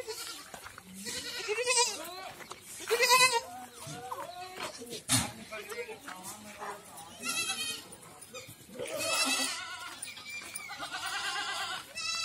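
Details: Goats on a farm in Ajmer and Kota, Rajasthan, give quavering bleats that overlap with human talk, several tremulous calls rising out of the chatter and farmyard noise.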